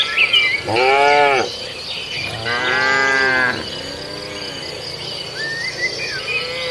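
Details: Cattle from a herd grazing in a farmer's rice field; two long, harmonic-rich moos of about a second each, then a fainter third, with a steady high insect drone throughout and a brief bird chirp near the end.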